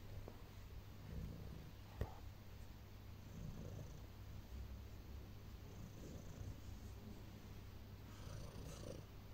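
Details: A female pet cat kneading and then resting on her owner purrs in a continuous deep rumble, even and unbroken for the whole stretch, with light rustles and a single soft tap.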